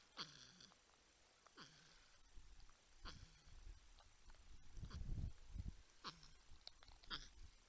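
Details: Porcupines humming and grunting at night at a wildlife camera in San Angelo, Texas, near a 10-point buck and a raccoon; short falling nasal grunts with harmonics repeat every second or so, over low rumbling thumps.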